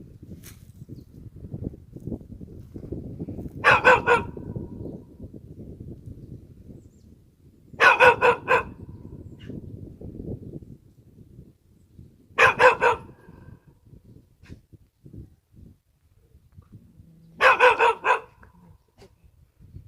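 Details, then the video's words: Four bouts of barking from a Korean country dog: each a tight volley of sharp, throaty barks, repeated every four to five seconds, with quiet pauses filled only by faint low background hum. "시골개 짖는 소리ㅣ시고르자브종 ㅣKorean Country Dog"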